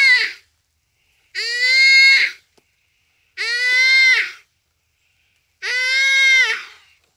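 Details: In its dying moments under a cheetah's attack, a common duiker at Phinda Private Game Reserve gives repeated strained bleating cries, four in a row about two seconds apart, on a rainy afternoon.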